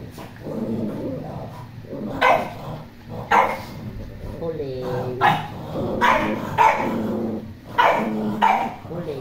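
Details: Poodle barking in short sharp bursts, about seven barks in nine seconds at uneven intervals, with a person talking between them.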